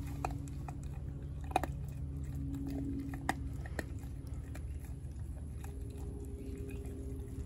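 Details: Four-month-old American Blue Bay Shepherd puppy Denali gnaws her raw turkey neck indoors: sharp crunching snaps and bone clicks at uneven intervals, a few louder cracks, faint tonal hum in the background.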